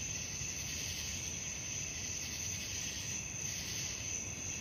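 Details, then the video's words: Crickets calling at night: a steady, high, ringing trill with a shimmering pulse about three times a second, over a constant low rumbling background noise. "suara jangkrik malam penghantar tidur"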